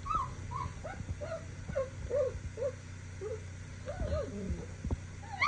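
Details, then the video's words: A three-week-old Cane Corso puppy, unhappy at being handled, gives a continuous string of small high whimpers and yips, several each second, with a sharper squeal at the very end. "3week old cane Corso puppy doesn’t like to be touched"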